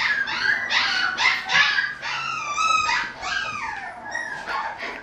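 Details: Young mixed-breed male with a baby face and abundant, silvering fur whines insistently: a string of high, nasal cries, several bending downward, coming about three per second with little pause.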